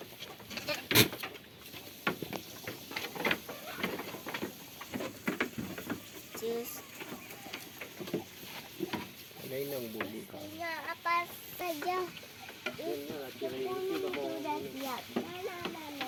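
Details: Goats playing and eating on a farm: clattering, tapping and rustling at first, then a run of shaky, tremulous bleats overlapping one another during the second half.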